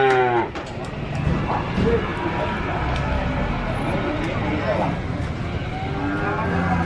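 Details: A cow lowing in drawn-out, low moos with harmonic tones, set against steady background noise and faint music.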